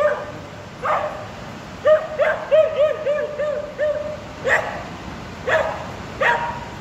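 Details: Daisy, a two-year-old female border collie sheepdog in training, barking at a 25ft light-up sheep sculpture at Durham's Lumiere light festival, trying to round it up; a quick run of five or six high yelping barks, then sharper single barks spaced about a second apart.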